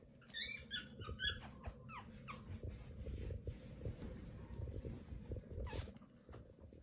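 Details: Newborn Pomeranian puppies give a burst of high, thin squeaks and whines over the first two seconds, then only soft low rustling and shuffling remain.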